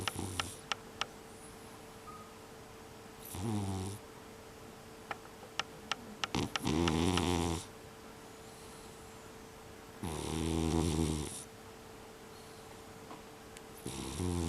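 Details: Bunta, a brown tabby mixed-breed house cat, sleeps and snores heavily indoors, December 2021: four rough, low, rattling snores, each about a second long and spaced three to four seconds apart, with faint clicks and a soft background hum.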